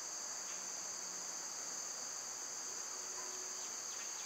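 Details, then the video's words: A steady wall of summer cicada song, shrill and continuous at an even level, with a faint low hum underneath. "Birds & Squirrels w/ Cicada sounds"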